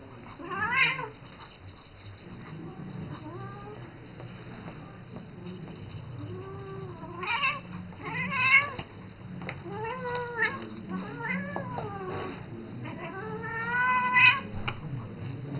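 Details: Isis, a seven-year-old female pet cat, calling to Rambo, a three-month-old ferret she treats as her baby, indoors: several drawn-out, wavering meows rising then falling, spaced a few seconds apart, over faint room noise.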